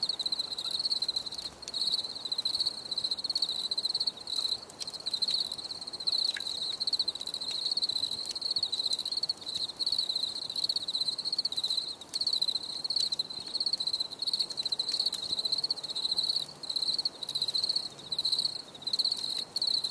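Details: Steady cricket chirping for anti-stress relaxation: high buzzy pulse trains in regular rhythmic bursts about twice per second, continuous for twenty seconds, with occasional clicks and faint low hum.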